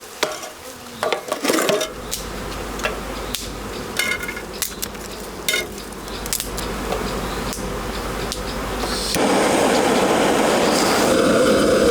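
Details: Irregular crackles and pops sound over a continuous hiss, like burning wood. The hiss grows louder toward the end, and no clear animal voice comes through.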